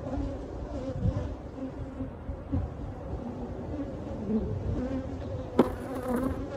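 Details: Massed honey bees buzzing as their hive behind a cabinet is taken out, a continuous low droning swarm sound with slight swells, a few soft thuds and a brief clatter near the end.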